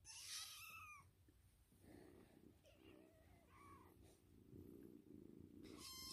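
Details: Pet cat yelling in a home, opening with a loud harmonic yowl, then a shorter, softer bent call about two and a half seconds later, over a steady low hum and soft rustling.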